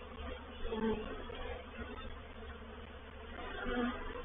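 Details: Swarming honey bees moving into a bait hive at Painted Peacock Manor on 04/07/21; a continuous deep buzz with a few short, higher whining notes standing out early and again near the end.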